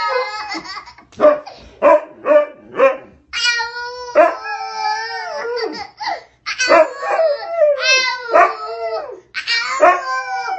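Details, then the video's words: Pet dog howling in response to a baby's howling: repeated drawn-out, wavering tonal howls rising and falling in pitch, several in a row, with the baby's similar voice mixed in and brief pauses between bursts. "Cute Dog Responds To Baby's Howling"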